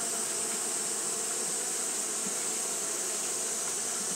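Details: Japanese honey bees fanning on a hot day, giving a steady, dense hum with layered low tones and a bright, constant high hiss throughout, without pauses.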